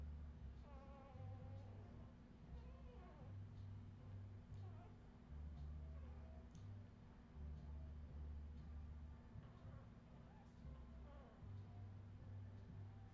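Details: Australian Terrier puppies recorded in 2018, giving repeated high, wavering whimpers and squeaky whines that bend up and down in pitch, several overlapping, over a steady low electrical hum.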